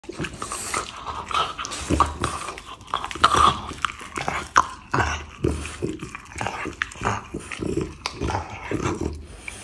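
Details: French Bulldog giving rough, throaty growls and snorting grunts in irregular bursts, with biting or mouthing noises between them, close to the recorder.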